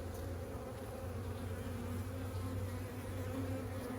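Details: Colony of honeybees hived roughly a week ago, heard while frames are lifted and checked for the queen and brood: a dense, even buzzing drone with strong low tones and a brighter band above, steady throughout.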